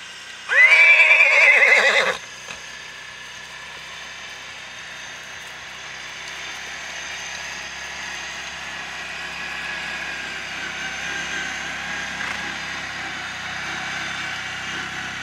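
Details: Whinny of an Icelandic horse foal from Geitaskarð, recorded 21 July 2012: one loud, trembling call of about a second and a half, followed by a long quiet stretch of low background noise.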